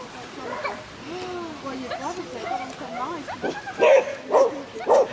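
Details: Konbu, a Shih Tzu competing in an intermediate agility jumpers run at Terrebonne on 07/10/2016: people talk at first, then three loud, sharp barks come near the end, about half a second apart.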